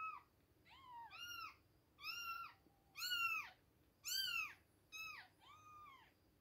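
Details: Two-week-old baby kittens at milk time: a series of high, arched, harmonic-rich meows, about seven in six seconds, some close together or overlapping, rising then falling in pitch, over a quiet indoor background.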